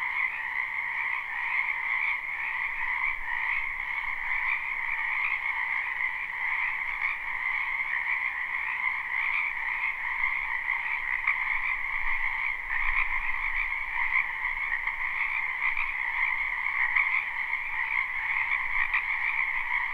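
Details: Many frogs croaking in a wetland behind a house in spring, a live unlooped recording: a dense, continuous chorus of overlapping trills in two steady bands, one mid and one higher, pulsing without pause.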